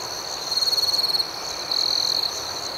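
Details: Crickets at night: a steady high insect chorus with two bands, pulsing rapidly, and a louder pulsed trill near the top band from about half a second to 1.2 seconds, with another burst later.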